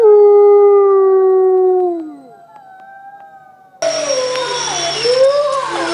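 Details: Long, smooth wolf howl holding one pitch before sinking and trailing off, then an abrupt cut to a noisier recording with wavering, rising and falling howls.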